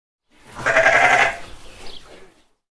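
A single sheep gives one wavering, nasal baa lasting about two seconds.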